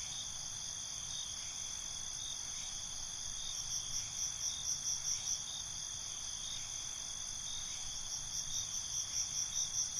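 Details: Several crickets calling together at night, a bright, constant high trill joined by rhythmic chirps that pulse roughly twice a second in two bursts, one midway and one near the end, above a faint low rumble.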